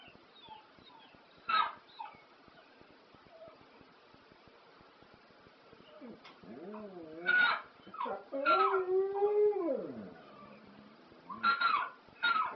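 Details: A dog howls along to ELO's song "Telephone Line" in long, wavering tones that rise and fall, with the music and sharp beats behind it.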